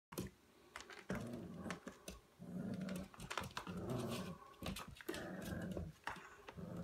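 A Staffordshire Bull Terrier growls low and rumbling in bursts, with sharp clicks and knocks between.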